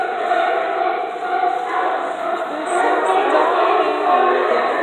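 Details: Sea lions under the docks of Astoria, a dense overlapping chorus of hoarse, wavering barks and moans in the mid range, continuous and crowd-like throughout, loud and close.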